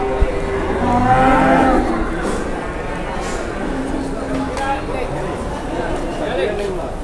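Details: At Boyolali's Pasar Jelok livestock market in Indonesia, where a giant cow arrives, a rising, drawn-out moo near the start is followed by a shorter low moo, with busy crowd noise and voices behind.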